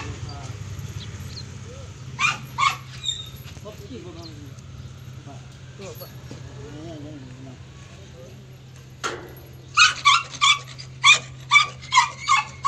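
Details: German Shepherd during a stud session: a pair of sharp barks early on, then a quick run of about seven loud, evenly spaced barks near the end, with murmured voices and a steady low hum between them.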